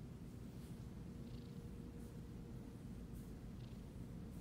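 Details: A Siamese cat being petted purrs in a steady, deep, low rumble with soft rustling sounds over it.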